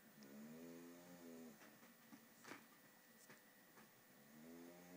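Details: English bulldog named Polo snoring: a rough, rasping inhalation with stacked harmonic bands in the first second and a half, a quieter pause with faint clicks, then the snore starting again near the end.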